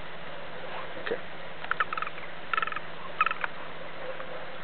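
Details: Distress call of a green toad in Sulina, Romania, in spring 2007: three short bursts of squeaky, pulsed chirps, spaced about a second apart, over a faint steady low hum.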